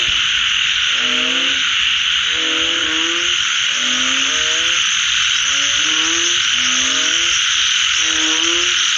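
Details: Frogs calling after rain: drawn-out, harmonic croaks slightly rising in pitch, repeated roughly every second and a half, over a steady, dense high-pitched chorus of other frogs or insects.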